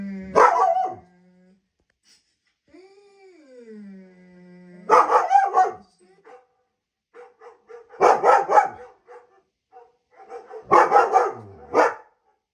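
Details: German Shepherd responding to the sounds of other dogs: loud, harsh barks in bursts spaced a few seconds apart, with a drawn-out whining howl that swoops up and down between them and quiet whimpers.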